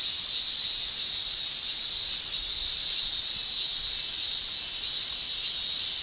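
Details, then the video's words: In Japan's summer, male cicadas shrill using tymbals, giving a constant high electric-sounding buzz that pulses slightly in intensity, softening briefly near the end before rising again. "Japan Summer Cicada Shrilling"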